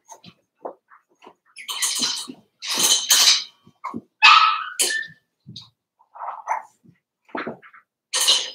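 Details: Daisy's litter of Cavalier King Charles Spaniel puppies, four weeks old, in their pen indoors: scattered soft squeaks build into louder, high yips and a harmonic whining cry near the middle, then fainter irregular squeaks.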